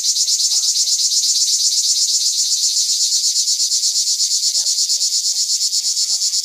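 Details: A pine cicada gives an unbroken, shrill, sizzling buzz that throbs rapidly and evenly, with faint short whistled notes, likely distant birds, beneath it; recorded in Rivesaltes in 2013.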